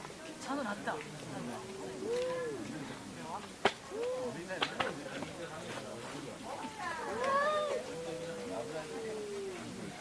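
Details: Domestic cats quarrelling: short rising-and-falling mews around the second and fourth seconds, then a longer, wavering wail from about seven seconds, over a background of light knocks and scuffing.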